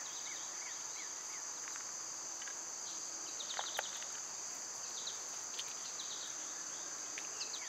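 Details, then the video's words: Constant high buzzing of summer cicadas runs through the whole recording while small birds add clusters of short, bright chirps and twitters on top. "Birds & Squirrels w/ Cicada sounds"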